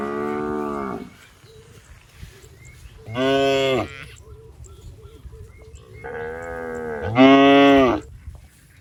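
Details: Fat, tame cattle roaming a rice field and eating grass; deep harmonic moos, each about a second long, come at the start, near the third second and again at six to eight seconds, with quiet gaps between.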